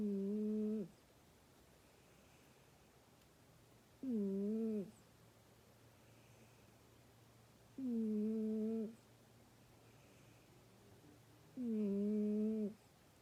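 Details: Domestic cat snoring indoors: four drawn-out, slightly bowed, tonal breaths with clear harmonics, each under a second, coming roughly every four seconds with quiet gaps between in a small room.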